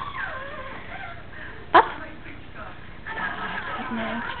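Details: A 9-week-old female Yorkshire Terrier puppy gives one sharp, high yap on a woman's Czech command to bark, recorded 5 October 2007.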